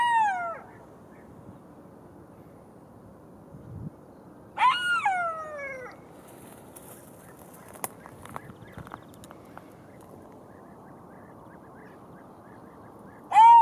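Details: Golden jackal cries, one cut off at the start, one longer falling wail near five seconds and another starting at the end, with faint clicks and rustles between them over a low hiss.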